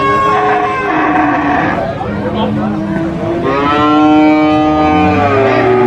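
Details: A cow at a livestock market, among large sacrificial (qurban) cattle, gives long, harmonic moos that slide in pitch, overlapping with other lowing cattle.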